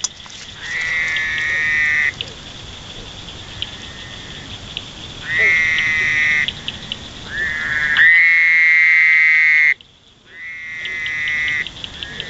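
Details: Fowler's toad calls in drawn-out, nasal 'waaah' bleats with a harsh buzzy tone, each held one to two seconds before a pause, in Indiana; fainter toads call in the background over a steady high insect drone.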